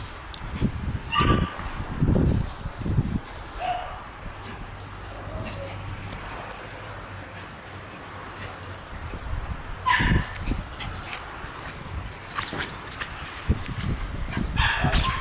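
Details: A pack of Shiba Inu puppies playing outdoors. Short, high, harmonic yips come near the start, midway and at the end, with thumps and scuffling between them and a low steady hum underneath.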